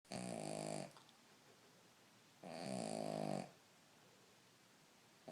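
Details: Cavalier King Charles Spaniel asleep and snoring indoors: two long, rasping, harmonic-rich snores, each lasting about a second, separated by a quiet pause of over a second.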